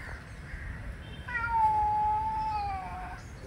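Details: Angry male cat during an argument with another male: a single drawn-out, slightly falling yowl lasting about two seconds, after a fainter wavering sound at the start.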